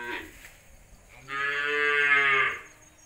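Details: A Punganur dwarf cow, one of the world's shortest humped cattle, lows once in a steady, full-throated moo lasting just over a second. A faint shorter sound comes first, over quiet background hiss.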